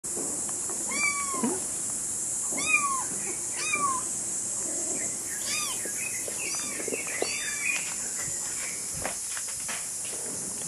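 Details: A kitten walking about gives high, thin meows that arch up and fall, repeated every second or two.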